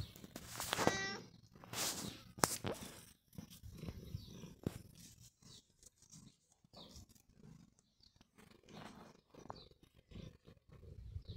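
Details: Pet cat Long John Whiskers lets out a single clear, high meow right at the start, followed by sharp clicks, rustling and scattered handling sounds.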